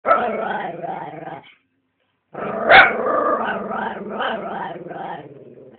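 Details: A female Italian Greyhound "talks" on Christmas Day while opening her presents, making drawn-out, wavering grumbles and moans that rise and fall like speech.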